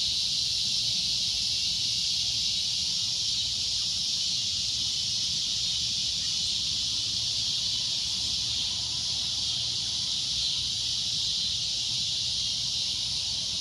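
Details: Loud shrill droning of a cicada, a continuous high-pitched buzz that never pauses, swelling slightly in the middle, over a faint low background hum.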